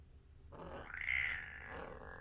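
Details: Kitten 37 days old making a strange, rough, breathy noise that swells after a quiet start, holds a strained higher tone in the middle, then fades slightly, against a low background hum.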